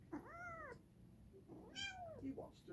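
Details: Two drawn-out cat meows, the first an arched rise-and-fall, the second starting with a sharp high onset before sagging down, set against a quiet indoor background.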